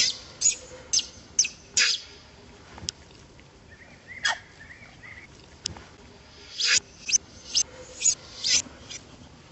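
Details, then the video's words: Baby monkey crying in pain as an old monkey drags it by the hands: sharp, high, harsh squeals in quick bursts, clustered at the start and again near the end, with a quieter gap between. "baby monkey 🙈 crying showing his hurt when old monkey drag hands"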